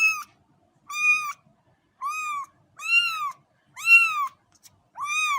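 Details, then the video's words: Rapid sequence of six cat meows, about one per second, each a bright harmonic arch of similar length, with faint low background rumble between calls. "صوت قطة"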